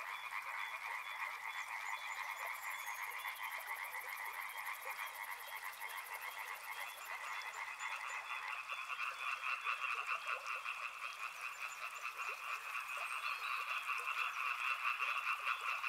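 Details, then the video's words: Many frogs calling together near a river, their overlapping croaks forming a continuous pulsing mid-pitched chorus that swells louder in the second half, with a thin, rapid high trill above it early on. "Frog Sounds | Soothing sounds of river and frogs"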